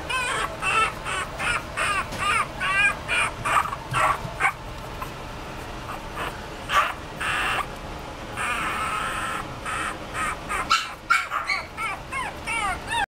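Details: Chihuahua producing a long series of shrill yaps and wavering whines, many curving up then down, mixed with harsher noisy bursts and brief pauses, carrying on steadily for over twelve seconds.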